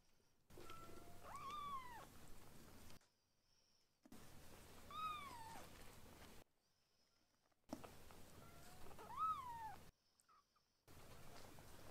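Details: Two young rescued kittens in foster care, learning to eat weaning food and playing at home; three separate arched, plaintive meows, each rising then dropping in pitch, spaced about three seconds apart with brief silences between.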